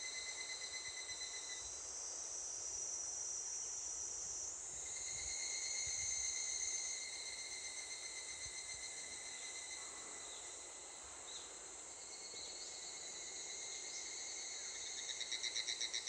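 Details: Higurashi, the evening cicada, starting to call near a school after pig-feeding duty: a continuous high-pitched shrilling with steady thin tones, swelling briefly midway, then rapid pulsed repeated notes near the end.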